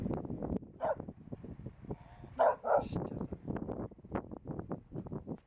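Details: Chester, a Manchester Terrier, walks the Kromme Rijn trail near Utrecht in June 2013; a few short yelping barks break out, a lone one then a quick pair, amid steady rustling footsteps and panting.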